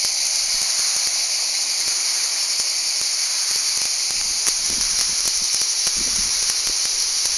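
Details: Cicadas in Val Trebbia: an unbroken, dense, high hissing buzz holding steady at one loudness throughout, several bands layered together like a chorus, with faint low thumps and rustles underneath.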